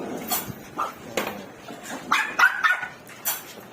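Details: Newborn Chihuahua puppies two days old, indoors, making scattered thin squeaks and small whimpers with soft clicks and rustling between them, one brief rising-and-falling whine near the middle.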